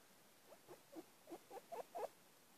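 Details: Adventurous three-week-old fox cubs at Bjørneparken give a run of about seven short squeaky yelps, roughly every quarter second, growing louder toward the end.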